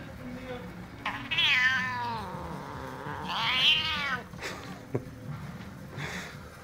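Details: Irritated male domestic cat, angry at a hand waved before his face; two long, quavering yowls that swell and fade, then short hisses or spits and a softer yowl, with a person talking in German.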